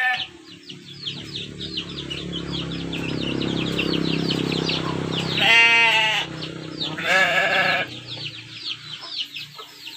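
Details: Texel merino sheep kept in a simple livestock pen, giving two loud, wavering, quavering bleats in succession, each under a second long. Dense high chirping from many small birds and a low hum continue throughout.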